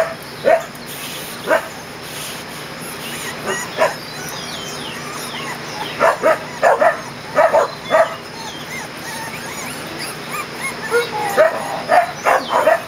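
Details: Twenty-day-old Kerry Blue Terrier puppies on their first outing in an outdoor play area, June: scattered high squeaky yips, sparse at first, then clustered bursts of several yelps around the middle and end.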